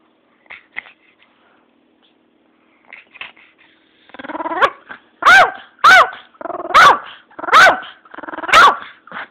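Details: Pomeranian named Cappi, a pet dog, giving soft whines and short growly sounds before a run of five loud, sharp barks spaced about a second apart, each high and harmonic-rich; indoor quiet with no other sounds.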